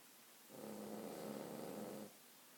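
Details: Cavalier King Charles Spaniel snoring very loudly, a trait the owner calls the breed's only flaw. A single rasping snore lasts about one and a half seconds, with a low, humming buzz, in a quiet room.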